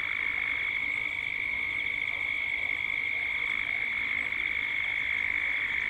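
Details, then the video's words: Cicadas calling at dusk in Gippsland, Australia: a steady, dense, high-pitched drone of many insects holding one shrill buzzing tone without a break, with a fainter buzzy layer above it. "Cicadas at dusk"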